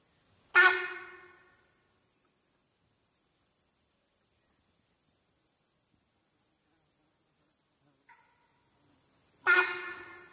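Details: Sambar deer alarm calling at a tiger in forest: two sharp, loud honking blasts about nine seconds apart, each with a sudden onset and a fading tail, a faint softer note between them, and a steady high hiss throughout.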